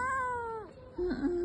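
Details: A young village kitten, left alone on a hot day, gives a clear, slightly falling meow, calling for its mother who has not come home.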